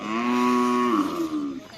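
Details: Cattle being trained for karapan sapi bull racing at a field in Bluto, Sumenep, before a major event: one long, steady, tonal moo held for about a second, then bending and wavering lower as it fades.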